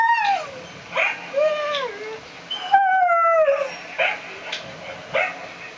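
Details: A mixed-breed dog howls in long tonal notes that slide downward, rich in harmonics, with short sharper yelps between the drawn-out howls.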